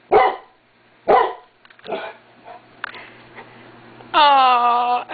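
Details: Pet dog barking at nothing while its owner eggs it on: three sharp, harsh barks roughly a second apart, softer rustling between them, then a drawn-out tonal, whining sound that closes the recording.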